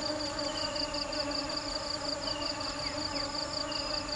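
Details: Bees foraging for nectar give a steady, low droning hum with rich overtones, over a faint high, rapidly pulsing background tone.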